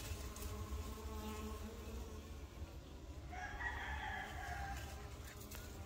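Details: Busy working honey bees give a steady, low droning hum, layered with many overlapping wingbeats.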